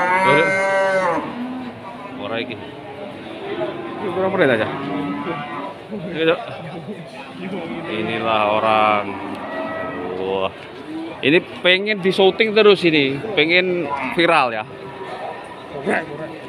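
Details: Amid the crowd at Pasar Wage Pati cattle market, Limousin cattle moo: an opening harmonic low, scattered further lowing throughout, and bursts of nearby human speech.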